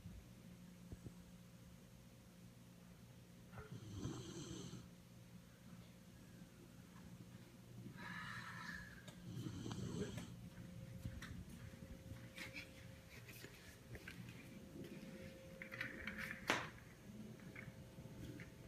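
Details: A host's dog at a house in Las Vegas, 18 April 2015, snoring like a human: rough, breathy snorting snores in bursts around four and eight to ten seconds, between quieter wheezy breaths, over a low steady hum.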